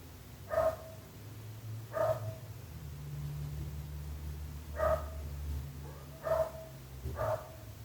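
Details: A neighbour's dog keeps barking, short sharp barks every one to two seconds, five in eight seconds, with a low droning hum underneath.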